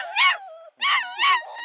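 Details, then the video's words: Four-week-old male Redbone Coonhound puppy from the Roxy litter, at a hound kennel near Kingston, Ontario, Canada, giving three high, harmonic, yelping barks in quick succession, a short gap before the second, the last trailing into a thin whine. "VERY SAUCY BARKING 4 week REDBONE COONHOUND!"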